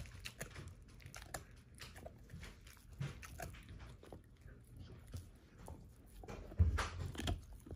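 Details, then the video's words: Thirteen-year-old pet German Shorthaired Pointer Ava crunching through a dehydrated turkey wing indoors at breakfast, her first time: steady gnawing and crackling bone bites, with a heavier thump and burst of crunching toward the end. "13 Year Old German Shorthair Pointer Eats Whole Dehydrated Turkey Wing For The First Time"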